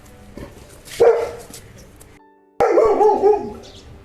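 A Saint Bernard gives a loud, deep bark, then a longer, rougher run of barking.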